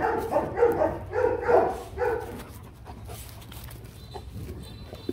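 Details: Rottweiler giving a quick burst of about five short barks in the first two seconds, then falling quiet, leaving only low background hum and faint noise.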